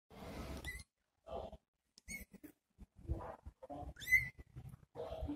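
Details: Little kitten meowing after its mother left to find food: thin, high, rising mews, one loud and clear near the end, mixed with rustling and scuffling noises.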